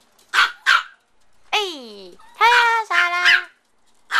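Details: AKC micro teacup poodles, a small family of the Swamp Rats and Velvet Touch bloodlines, born in Alabama and now kept in Hong Kong. Two sharp high yips, then long wavering tonal whines, and a final yip.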